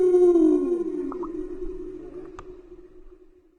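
A blue whale gives a long, steady tonal moan that droops slightly in pitch before fading away.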